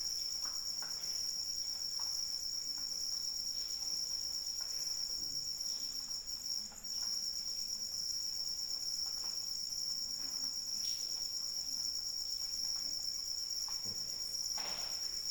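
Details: Long stretch of crickets trilling steadily at a high pitch while rain patters throughout, the insect chorus briefly dipping once midway.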